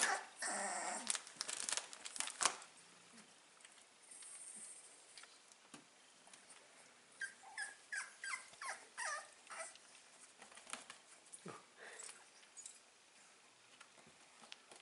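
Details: Five-week-old Staffordshire Bull Terrier puppies recorded on 16 April 2019 indoors, with scattered rustling and handling noise at first, then a run of short, high, rising-and-falling whimpers between seven and ten seconds, fading to quiet shuffling.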